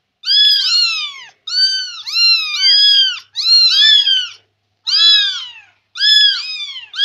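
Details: Talkative Persian kitten trailing its owner indoors, giving loud, drawn-out meows that rise and then fall, some run together in pairs, in five close bursts.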